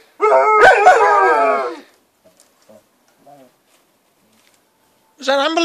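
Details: Dogs Nanuk and Miki howl at an ambulance: one wavering howl of under two seconds, then near silence with faint sounds, and a fresh howl starting at the end.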